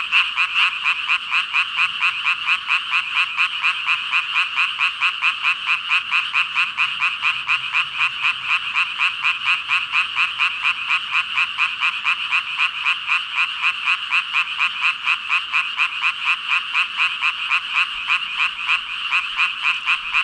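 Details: Thousands of frogs, about five thousand by the stated count, croaking in an even, rhythmic chorus of rapid pulses that stays constant and dense from start to finish.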